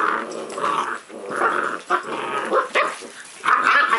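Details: Rough growls from a puppy during play, four or five grainy surges with brief silent breaks between them.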